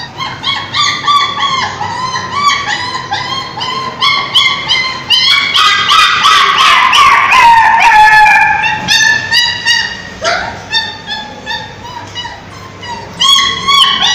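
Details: Street dogs crying and barking aggressively: overlapping howls and whimpering cries rise into a dense, loud chorus midway. The chorus then breaks into short, repeated high yips and wavering whines.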